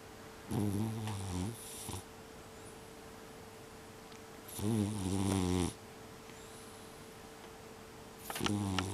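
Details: An indoor tabby mixed-breed cat of unknown age snores heavily in December 2021. Three deep, buzzy, rattling snores come roughly every four seconds, each about a second long, over a steady faint hum.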